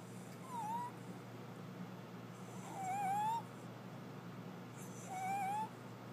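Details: Louie, a small pet dog, snoring with a whistle in his nose: three thin, slightly rising whistled tones, each about half a second long, roughly every two and a half seconds, over a steady low indoor hum.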